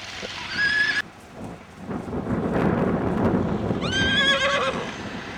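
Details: Icelandic horse foal, recorded 21 July 2012, whinnies twice: a short high neigh at the start, then a longer shaky whinny that falls at the end. Steady rushing noise fills the gap between the calls.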